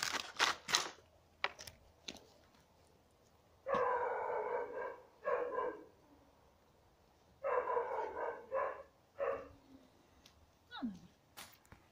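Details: Hungarian Vizsla. Hungarian Vizsla puppies whimper in short, squeaky bursts, each a rough, harmonic yelp lasting under a second, grouped in clusters. A few sharp knocks open the sequence, and a thin, downward-sliding whine closes it.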